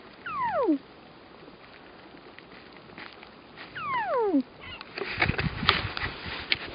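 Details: Weddell seal on Ronge Island, Antarctica, calling while asleep: two steep descending whistled sweeps with harmonics, each under a second, about three seconds apart, followed by broadband rustling noise.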